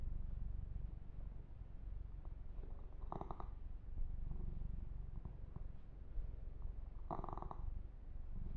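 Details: Deep, even purring from the kitten Yumak as he is massaged and his fur groomed; the low vibrating rumble is steady, with two short bursts of rubbing or scratching on the fur.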